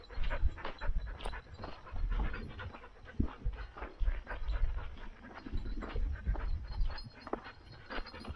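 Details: Standard poodles of a Ketchum, Idaho household near Sun Valley; steady rhythmic panting, rapid airy puffs several per second with small louder surges, set against low-frequency rumble.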